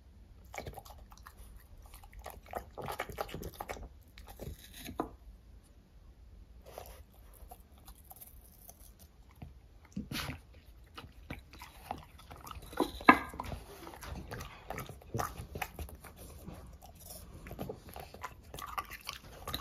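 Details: French Bulldogs snacking on fruit such as strawberries and apples indoors, irregular wet crunching and biting bursts with short quiet gaps, close and intimate in a small room.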